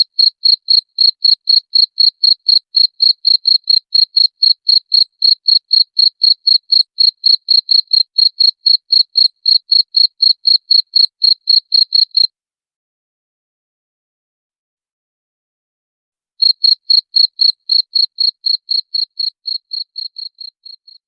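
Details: Cricket sound used to drive away rats: rapid, sharp high-pitched chirps at a steady four per second, then a silence of about four seconds, then more chirps that fade out at the close.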